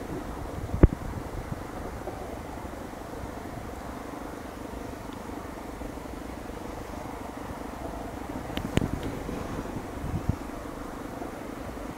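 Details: Low outdoor rumble resembling a distant engine or aircraft, broken by a few sharp clicks and knocks, with no animal call present.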